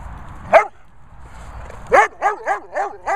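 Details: Airedale Terrier barking in a bossy way, demanding to play: one sharp bark, a pause, then five quick rising-falling barks in a burst, with a faint low rumble underneath.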